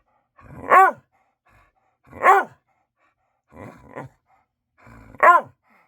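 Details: Pet dog indoors at bedtime, already fed and taken out, barking for attention; four barks about one and a half seconds apart, the third softer and rougher.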